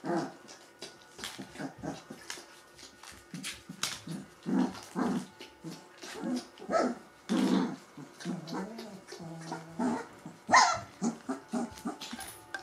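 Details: Three-week-old Gordon Setter puppies of a litter making soft low grunts, whimpers and short growly sounds in quick irregular bursts, with a few louder squeaks and faint rustling between them.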